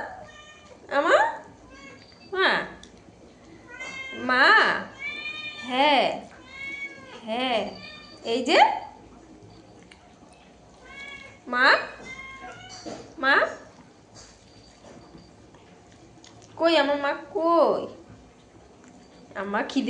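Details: Indoor cat meowing over and over, about a dozen arched, wavering meows spaced one to two seconds apart, some short and some long, with a person speaking softly in Bengali between the calls.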